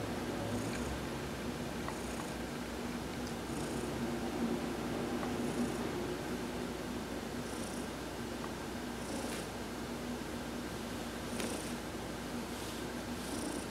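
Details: Heidi, a pet cat, purring while being massaged during a sunbath on November 19, 2020; a steady, unbroken low rumbling purr runs throughout, with short faint hissy bursts high above it every couple of seconds.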